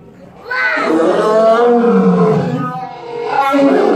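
A Barbary lion gives a deep, drawn-out roar that swells and slowly falls in pitch.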